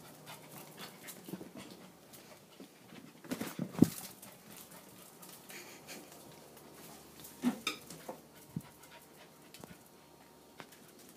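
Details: Three-month-old female corgi puppy running around playfully, breathing in short huffy breaths with a few sharper knocks and thumps of movement mixed in against quiet indoor background.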